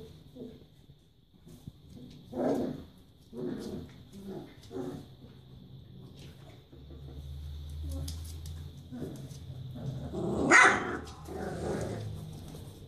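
Four-week-old Barbet puppies let out short whimpers and yelps in scattered bursts, with a low steady hum and some quiet French speech.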